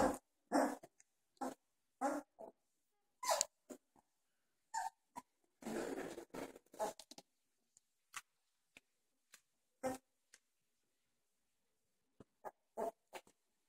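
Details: Doberman puppies, 2.5 weeks old, still wobbly and uncoordinated, playing with each other and growling, a habit they have just discovered. Short rough bursts come in uneven clusters, with a longer grumbling stretch midway and quiet gaps between.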